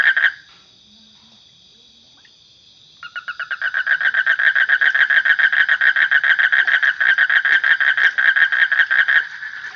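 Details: A brief frog note opens, then comes a quiet gap with only a thin high hum. Loud, rapid pulsed croaking then starts and runs steadily for about six seconds before dropping away.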